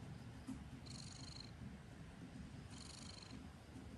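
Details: Low continuous purring of a house cat, a rough rhythmic rumble that never stops, overlaid by two soft hissing breath-like bursts high above.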